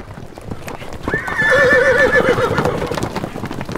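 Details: Domestic horse whinnying: one drawn-out neigh of about two seconds, held in a steady tone with a quavering, wavering pitch before it trails off. Faint background noise, possibly hoof clops.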